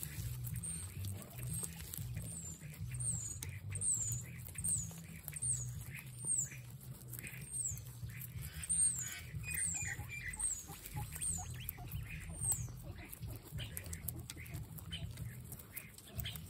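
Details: Excited guinea pigs squeal in a fast series of short, high, downward-sliding notes, about two per second for twelve seconds, over a continuous low rumble and light rustling.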